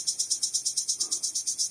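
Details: Wing-rubbing call of a male cricket drawing in females: evenly spaced, sharp, very high pulses repeated rapidly, roughly eight per second, loud and clean throughout.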